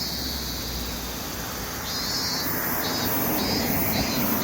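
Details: Summer chorus of lively cicadas among urban noise: shrill, pulsing buzzes that come in regular bursts, backed by a continuous rumble of passing vehicles.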